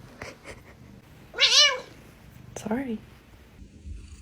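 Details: Domestic cat refusing to be touched, giving two meows: a longer, higher arched cry, then a shorter, lower one about a second later, with a quiet room and faint rustling around them.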